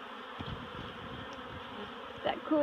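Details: Low continuous hum of many honeybees as the colony is moved out of a barrel into a new home at Miss Bee Haven, with a brief bump near the end.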